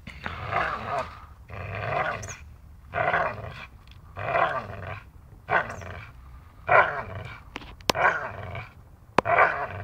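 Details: Dachshund playing and biting, producing a rhythmic series of rough growling bursts, about one each second, with two sharp clicks near the end.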